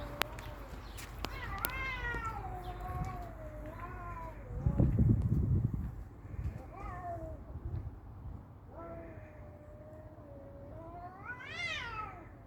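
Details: Cats fighting: drawn-out harmonic yowls that waver and slide, some bending downward, ending in a sharp rising wail; a low thump and rumble near the middle.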